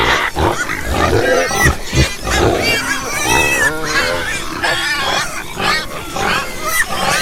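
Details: Several farm pigs grunting and squealing at once, stacked harmonic squeals and wavering oinks, punctuated by low thumping grunts, continuous and crowded.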